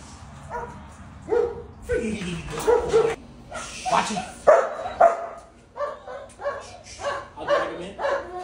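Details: Belgian Malinois puppy giving a run of sharp yapping barks, some rising into squeaky yips, in quick irregular succession, with human voices mixed in.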